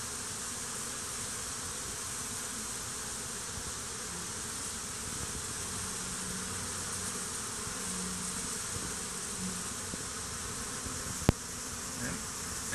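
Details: Agitated honey bees swarm and fight around a stump and beneath a hive, dead bees on the ground; steady, hissing buzz of the mass, with short droning tones from bees flying near midway, and one sharp click near the end.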